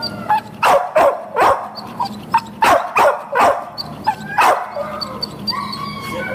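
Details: Boxer available for adoption, June 2015, barking in a rapid string of about eight sharp, rough barks. The barks fade out toward the end, leaving faint high chirps and murmuring background noise.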